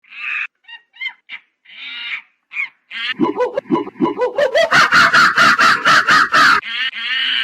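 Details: Monkey. Brief squeals and nasal chirps open the sequence, followed by rising, hoot-like notes. These speed up into a loud run of harsh, evenly pulsed cries about five per second, then end in a drawn-out squeal.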